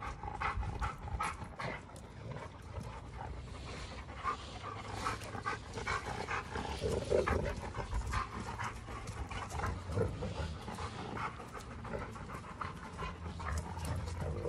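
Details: Two Giant Schnauzers named Garvey and Luther squaring off in a fight: long stretches of deep, steady growling under constant panting and scuffling, easing briefly before rumbling again toward the end.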